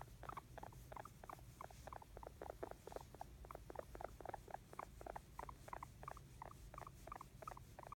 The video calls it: Guinea Pig Making Happy Sounds